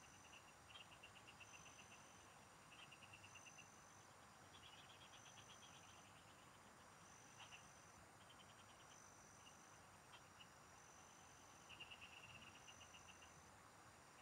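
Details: Frogs calling in the fields, recorded during fishing: short trains of rapid pulsed notes repeat in bursts of about a second, with a steady high insect-like whine and a rough background hiss throughout.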